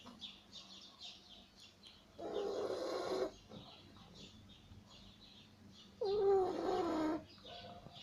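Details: Sleeping beagle snoring: two long, raspy, rumbling snores about four seconds apart, each lasting roughly a second; the second carries a thin whistling tone. Soft breathing noise fills the quiet between them.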